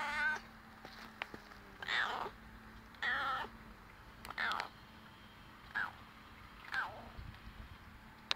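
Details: Garden cat from a neighbouring yard, occasionally fed for three years, in first close contact on 24 July 2015; six separate meows, each a short rising-then-falling wail roughly a second apart, with a faint steady hum beneath.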